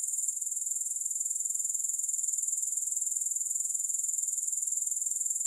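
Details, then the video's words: Grasshoppers without music: a continuous high-pitched insect trill with rapid, even pulsing throughout, no other sounds. "Grass Hopper Sounds"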